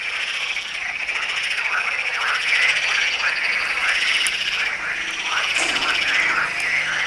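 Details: Frogs calling at the Tyre necropolis in Lebanon: a dense chorus of rapid, rattling croaks, layered and overlapping without pause, with brief higher chirps standing out now and then.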